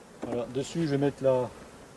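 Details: Honey bees from a drone-laying hive, their frames shaken out about fifty metres from the apiary, buzz in several close passes: droning harmonic hums, wavering slightly in pitch, each lasting a fraction of a second with short gaps between them.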